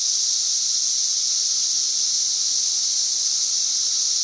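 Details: A loud cicada chorus up in the trees, recorded May 31, 2024 near 90 decibels, forms an unbroken shrill hiss-like buzz holding one even pitch throughout.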